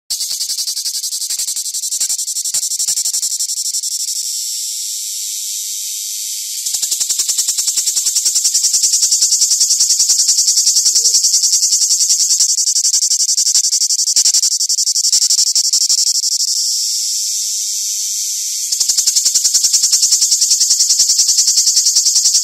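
A cicada drones without pause, a dense, sizzling buzz pitched high and shimmering with a fast rattling pulse. The song grows noticeably louder after a few seconds and holds that intensity to the end.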